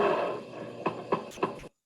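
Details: Agitated American black bear warning to stand back, breathy hissing followed by a series of sharp teeth clicks roughly every third of a second before stopping abruptly.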